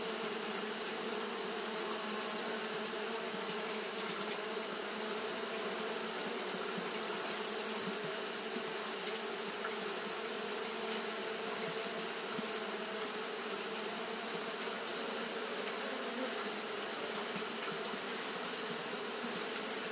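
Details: Twenty seconds of Japanese honey bee fanning during hot weather: a thick, unchanging hum of many wings with clear low tonal bands and a steady hissing layer high above, without breaks.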